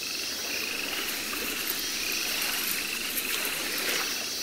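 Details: Baron's mantella (Mantella Harlequin), a Madagascar frog, kept at a Paris zoo in September 2014. Faint trains of quick, high clicking notes repeat at a steady pitch over a constant hiss of background noise.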